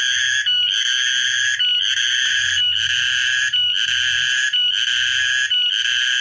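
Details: On 14 March 2023 a cicada sings a loud, high-pitched droning trill, pulsing with brief gaps around once per second, roughly 61 a minute, with faint low background noise.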